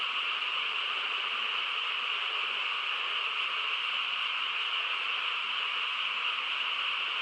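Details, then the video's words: Countryside frogs calling together at night, their overlapping voices forming a constant dense hum with a brighter trilling layer on top, unchanging and without pauses. "고요한 시골 밤에 개구리 합창 소리"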